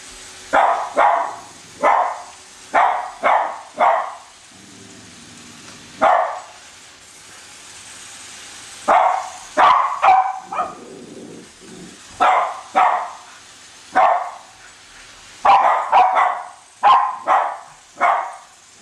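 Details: Pet Cavalier King Charles Spaniels, Colby and Shelby, chase a toy train around a Christmas tree indoors; bursts of rapid, bright barks, often in quick runs of two or three, break up quieter gaps with soft rumbling from the train.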